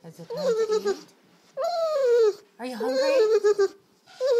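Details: Dinner-time funny noises from Sisko, a dog: long, yodel-like moaning vocalizations that swoop down in pitch, then rise and waver, in four separate phrases. A lower voice-like hum appears beneath some phrases indoors.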